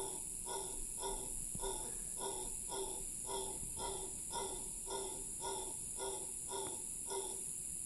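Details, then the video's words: Howler monkey's long howl recorded in Cahuita Park, Costa Rica: a steady series of short, hoarse grunting pulses, roughly two per second and very even, with a continuous shrill insect buzz behind. "Long howl by howler monkey"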